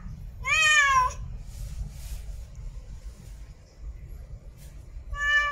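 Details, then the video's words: Female cat in heat meowing for a mate: one strong, clear harmonic meow with a bent, arching pitch, followed by quiet hum and faint rustles, then the start of another meow at the end. "REAL CAT IN HEAT MEOWING MATE CALLING"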